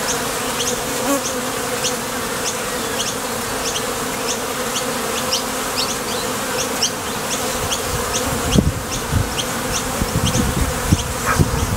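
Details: Swarm of honey bees coming and going at a top bar hive entrance while foraging for nectar. Continuous droning buzz with a steady low pitch and light high ticks throughout. Dull low thumps and knocks join near the end.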